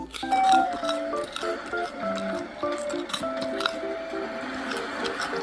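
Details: Bouncy plucked background music with light clinking notes and no animal sound.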